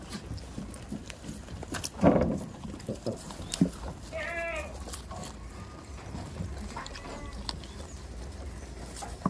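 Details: Tame goats on a farm give two short, wavering bleats with stacked harmonics, one near the middle and one later, over steady low background noise and scattered knocks.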